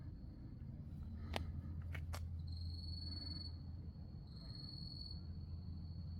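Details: Grass insects at night at Wonhyosa temple on Mudeungsan, October 2024. A few sharp clicks come first, then two short bursts of high, rapidly pulsed trilling separated by a pause, over a low background hum.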